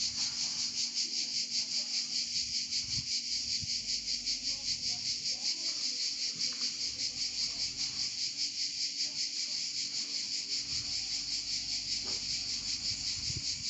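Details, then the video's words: Provence cicada chorus: a continuous shrill buzzing drone that throbs in quick regular pulses throughout, with a few soft thumps and faint rustles in the background. "Chant des Cigales en Provence"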